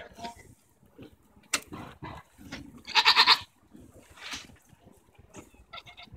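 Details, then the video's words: Domestic goats arguing, recorded June 24, 2014, with tongue flapping noted; one short, quavering, pulsed bleat about half a second long mid-recording, surrounded by knocks, clatter and faint human voices. "goats arguing"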